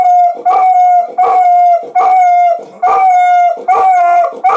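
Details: Dog howls to a siren, with loud rhythmic wailing pulses about once a second riding over a steady, bright mid-pitched tone that keeps going throughout.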